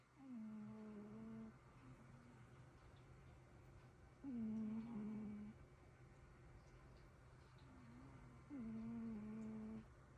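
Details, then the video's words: Two cats snoring together indoors: soft, whistly, tonal snores of about a second each, recurring roughly every four seconds, faint over a quiet room hum. "코골이 듀오"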